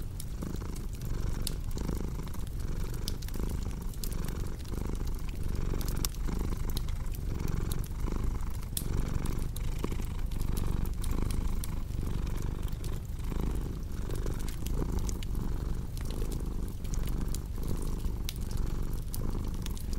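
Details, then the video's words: Long stretch of a house cat's continuous low purr, rhythmic and rumbling with gentle rises on each breath, accompanied by a crackling fire popping and snapping in the background. "Purring Cat"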